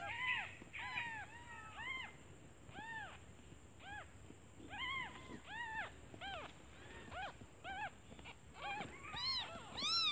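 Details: Hungry newborn kittens calling for their mother, who has left to find food; dense chorus of high arched mews from several kittens, irregular, crowded together, with a faint continuous high tone.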